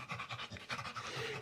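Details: Pit bull panting hard after five minutes of play; rapid, rhythmic breathy pants, roughly six or seven per second, steady throughout.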